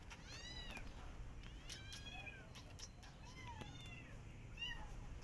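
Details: Persian cat with her adopted kittens out walking in a garden, watching rabbits; a series of short arched meows, several overlapping in quick succession, over a steady low rumble of background noise.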